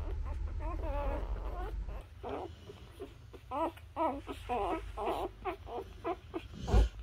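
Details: Nursing newborn Labrador Retriever puppies with their mother make rapid short zigzag squeaks and whimpers in bursts, over a deep hum that fades partway through.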